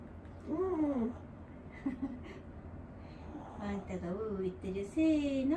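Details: Elderly dog Wanta, cared for at home and vocal whenever awake, often flailing its legs, gives drawn-out, wavering moans: a long arched whine near the start, a short one mid-clip, then a run of broken, bending moans. Faint voices and household noise sit underneath.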